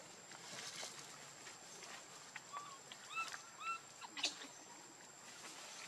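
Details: Baby monkey named Leo, hungry and crying to beg its mother for milk: three or four short, thin, whistled calls, each bending up then down, clustered midway, with scattered clicks and a steady faint high hum behind.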